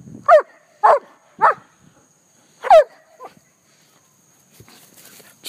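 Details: Pet German Shepherd called Cupcake barks outdoors: three evenly spaced loud barks about half a second apart, a pause, then one more bark. Faint rustling and a voice follow at the end.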